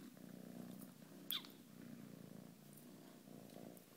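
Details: Playful ginger foster kitten giving a low, even purr that pulses softly throughout, with one sharp click near the middle and a few faint rustles.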